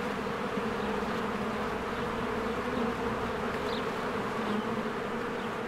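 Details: Honeybees working diligently at their hive during spring bloom. A loud, steady droning hum fills the moment, with one short, higher chirp from a bird near the middle.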